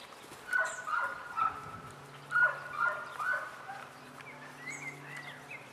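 German Shorthaired Pointer puppies give short, high, squeaky whines in quick bursts of two or three.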